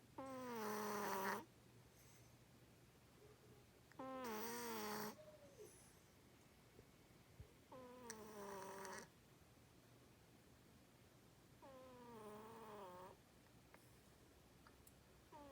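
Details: Domestic cat asleep and snoring loudly indoors: four drawn-out breaths about a second long, spaced roughly every four seconds, each a raspy tone sliding downward with a hissing edge, quiet room between.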